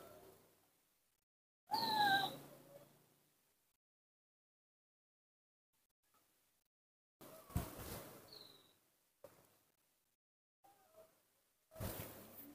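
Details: Baby monkey named Nomi, apparently confused, playing alone in the dirt of a front yard; one loud, high, squealing cry rises sharply with bright overtones, followed by quieter scuffling and rustling bursts across the yard.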